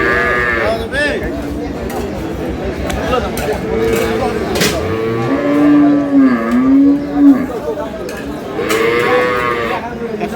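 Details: At Aftabganj haat in Dinajpur on 12/5/26, improved-breed milk cows and calves low repeatedly: a short moo at the start, a drawn-out wavering moo midway and another near the close, with buyers talking throughout.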